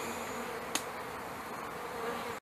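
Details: A hive of newly installed package honey bees, May 2013. A thick, continuous buzz from a crowd of bees carries on, broken by one sharp click partway through before the sound cuts off.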